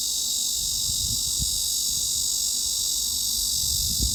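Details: Mid-high-frequency (about 3–4 kHz) cicada sound used as a tinnitus masking sound: a steady, high-pitched buzzing drone that holds without a break.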